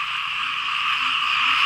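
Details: Frogs and small frogs calling together across rural fields in Laos while it rains. A loud, unbroken chorus forms a steady droning wall of sound with two shrill, continuous layers and no single caller standing out.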